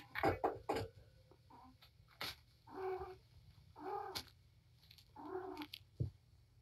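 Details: Mother cat Patience, a rescue at Purrfect Pals with five kittens, four boys and one girl, wound up and playing with her litter indoors; several short harmonic meows repeated about every second, amid thumps and rustling of play.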